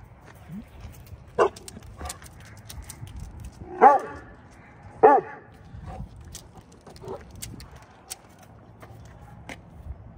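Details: Exchanging barks with the neighbourhood dogs, a rescued Saint Bernard called Vern gives two strong, deep barks about a second apart. Fainter, scattered barks and clicks sound around them.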